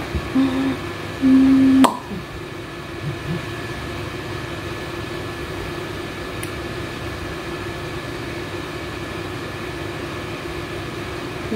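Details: Steady indoor hum with a low rumble, like an air conditioner or distant traffic, and a sharp click near two seconds; no animal voice.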